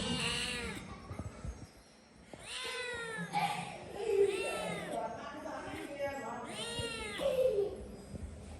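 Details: Domestic cat screaming: a series of loud, drawn-out, arching meows repeated every couple of seconds, with people talking and bits of music around them.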